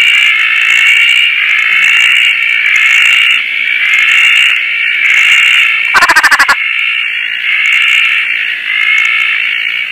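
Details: At night in rainy Koah, Roth's tree frogs on a tarp join many others in a dense, high, throbbing chorus of pulsing swells, interrupted midway by a short burst of rapid clicking.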